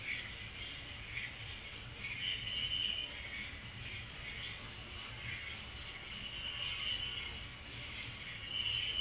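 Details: Crickets chirping at night: a steady, unbroken high-pitched shrill trill, with fainter lower buzzy pulses rising briefly around the second and eighth seconds.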